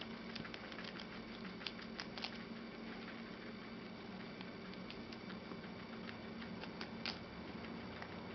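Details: Guinea pigs Chocolate and Milk eating lettuce, a favourite vegetable, with a continuous stream of sharp little crunching clicks, some louder bites standing out, and a constant low droning hum underneath.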